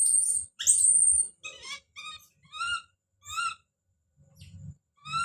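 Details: Baby monkey Don screams as he calls out. A long piercing high scream opens, then a run of short tonal cries follows, each about half a second long, with brief pauses between them and faint low thumps.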